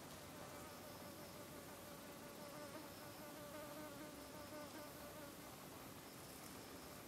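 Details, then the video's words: Green drone beetle (Rhomborhina unicolor) in Japan, late August 2012, flightless because of a deformed left hindwing, beating its wings in vain while trying to take off. A steady low droning buzz with a faint tonal whine holds through the clip over a hissy background. "Flightless Green Drone Beetle 飛べないアオカナブンの羽ばたき"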